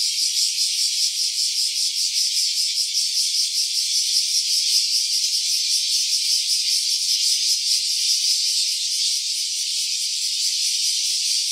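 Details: Cicada voice recorded in stereo: a loud, continuous shrill buzz with fine, regular pulsations about two or three per second, sustained without pause across the whole stretch.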